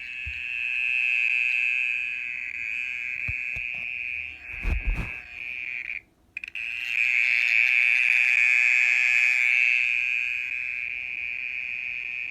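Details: Mole cricket calling at night, a continuous buzzy trill held near one steady pitch, broken briefly by a few knocks and a short gap midway before resuming louder.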